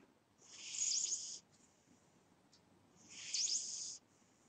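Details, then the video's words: Snores from a sleeping cat: two long, hissing, whistly inhalations about two and a half seconds apart, separated by near-silent pauses. "My Snoring Cat"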